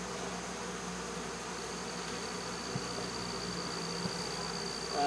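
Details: Removed swarm of honey bees from a baseball field, August 2014, just after the cover is set back on the box. An even buzzing hum with a low steady tone underneath and a soft knock or two.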